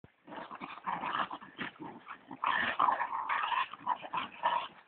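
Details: A Westie and a pit bull play-fighting after a Thanksgiving meal, giving dense, continuous rough growls and grumbling snarls that rise and fall in loudness without a break.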